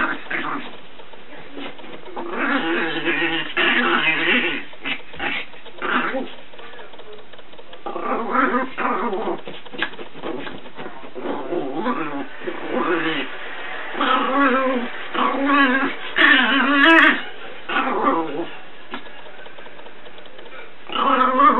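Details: Paco, an 8-month-old Chihuahua puppy, goes crazy running through the house. He gives repeated bursts of harmonic, wavering growls and whines, with short pauses between them. The bursts vary in length and rise and fall in pitch.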